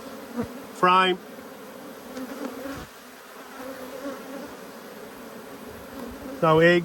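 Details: Honey bees from two hives cross at being inspected, 5 March 2022: a steady low hive hum runs throughout, broken twice by loud, rich buzzing bursts as bees fly close past the microphone.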